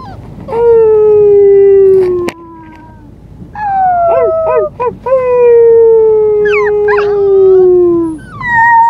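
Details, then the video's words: Luka, a small white female Siberian Husky puppy on her first day at her new home, gives long smooth howls sliding slowly downward, broken by short yips and brief rising squeaks. "Husky puppy howling"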